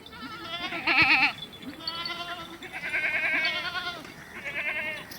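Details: Beetal goats at a goat farm in Pakistan, a breed noted for high milk yield; several nasal, wavering bleats overlap, one louder near one second, others following around two, three and four seconds.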